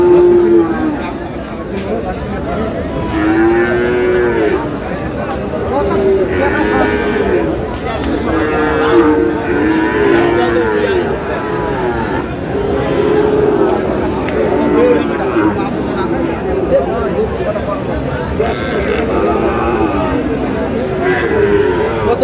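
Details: Sahiwal breed bull calves, one said to be seven months old, at the Aftabganj livestock market in Dinajpur, Bangladesh, on 25 July; repeated short, bending moos every few seconds over a constant din of buyers and sellers talking.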